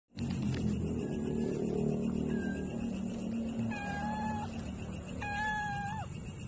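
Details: Stray cat meowing for food while being fed; two to three clear, steady meows in the second half, tonal and slightly falling at the end, over a low background rumble.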